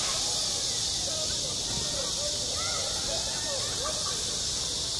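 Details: Summer cicadas calling at a schoolyard, their chorus a steady, intense high hiss with no breaks, while soft wavering sounds, perhaps distant children, murmur faintly below.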